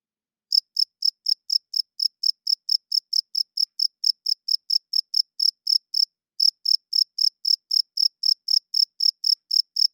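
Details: After half a second of quiet, a cricket starts a loud nocturnal chirping run, bright high pulses near four per second, pausing briefly around the six-second mark, then continuing; no other noise.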